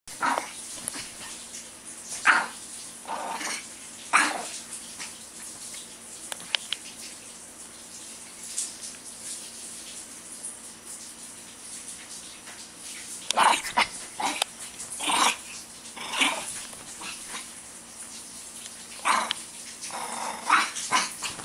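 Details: A Shih Tzu described as crazy, releasing pent-up energy, gives short sharp barks in irregular bursts, some spaced a second or two apart and others in quick clusters, with broadband bumping and scuffling between them.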